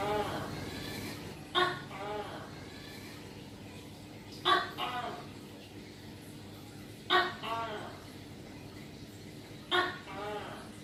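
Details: Tokay gecko calling: short, throaty two-part notes with stacked harmonics, four calls repeated roughly every 2.7 seconds over a steady low hum.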